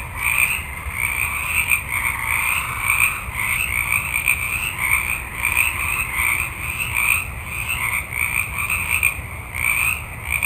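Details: A dense night chorus of many frogs in a forest trills and croaks together in a steady, pulsing wall of sound.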